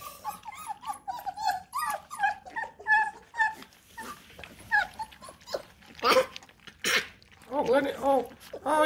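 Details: Eight Bluetick Coonhound puppies at feeding time, crowding their mother and the dish indoors; a dense chorus of high, wavering whines and squeals overlapping one another, with a person talking and laughing over them.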